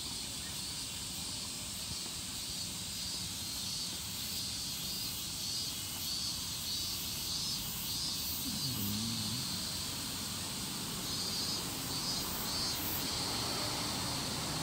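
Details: Higurashi calling in Japan: continuous shrill buzzing high up, broken by short repeated pulses, over a steady low background hum and a brief low sound near the middle.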